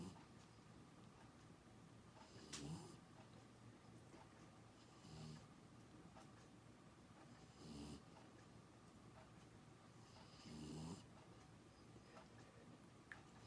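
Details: A 13-week-old English Springer Spaniel puppy snores while asleep: soft breathy rasps about every two and a half seconds, five snores in the stretch, over quiet room hiss.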